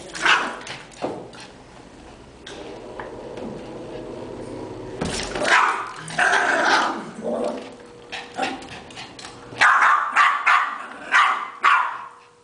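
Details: Playful Yorkshire terrier chasing a ball at home with family members, letting out scattered sharp barks in bursts, with quieter gaps between them.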